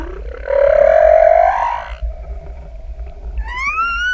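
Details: Humpback whale singing in the open ocean, recorded just above the animal: a strong, slightly rising buzzy moan lasting over a second, a soft low hum, then a sharp upsweeping whistle with clear harmonics.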